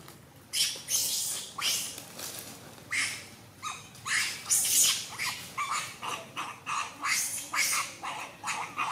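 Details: Macaques fighting in a tree and biting each other fiercely; harsh, noisy screeches burst out in a rapid irregular series, roughly one or two each second, broadband and loud, with no other clear sounds.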